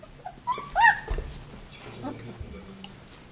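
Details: White Swiss Shepherd puppies, 19 days old, from a summer 2014 litter in France give thin, high whimpering squeals that rise and fall.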